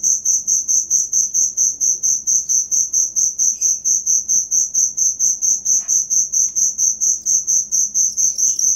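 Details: Steady cricket chirps, sharp high pulses at a regular pace of about two per second, recorded as tutor sound for songbirds; occasional faint bird notes in the background.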